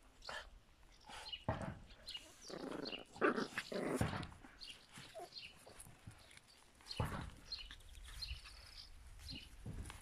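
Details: Yorkshire Terrier puppies, 51 days old: scattered short yelps, grunts and growly barks in irregular bursts, with a louder cluster around the middle, amid handling and rustling noises.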